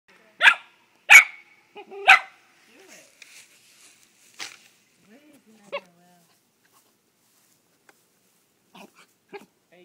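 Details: Dog that has caught a gopher barking at it: three sharp, loud barks about half a second apart, then a man speaking quietly and faint rustling.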